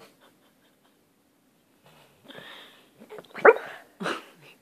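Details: Pet dog making funny noises while asleep: quiet at first, then a burst of short squeaky, hiccup-like whimpers and snorts in the second half, ending in a brief nasal squeal.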